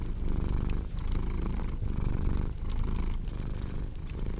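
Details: A cat's deep, continuous purr set against a crackling fireplace for sleep and relaxation. Low buzzing throb in rhythmic cycles just under a second long, with brief bright crackles from the fire scattered throughout.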